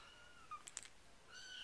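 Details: Four-week-old RagaMuffin kittens of the Winter Wonderland litter give faint, thin, high mews, one brief rising cry followed by a longer wavering one, with a few soft taps and clicks between them.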